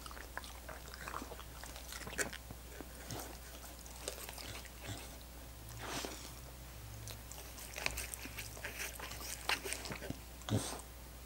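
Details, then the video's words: Dogs lapping at frozen coconut water popsicles: wet smacking licks arrive about once a second, broken by sharper crunching bites, with a faint electrical hum beneath. "Dogs Licking Coconut Water Popsicles"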